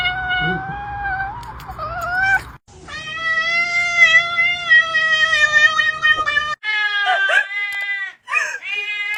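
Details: Domestic cat producing odd sounds: long, drawn-out, nasal, strongly harmonic wails, held steady for several seconds, then short, broken, cracking calls at the end, with cuts between segments.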